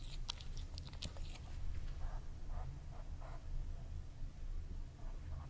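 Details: Close-up ASMR recording of Kerry, a cat, at a meal: soft crunching and chewing bursts, busiest near the start, then gentler, spaced mouth sounds against a low indoor hum.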